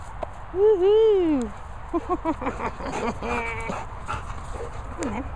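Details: Ziggy, a young Labrador retriever puppy, during a training and play session outdoors: a loud, drawn-out whine that rises and falls over about a second, then shorter whimpers, with a person talking and steady wind noise.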